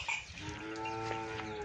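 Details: Pure Nili-Ravi buffalo offered for sale in Punjab, Pakistan, 3/8/2022, giving a short steady tonal moo that holds an even pitch for over a second, with faint background clatter.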